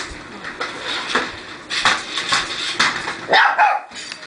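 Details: Puppy barking at a remote-controlled car: one or two high yipping barks near the end, after a stretch of rattling, clattering room noise.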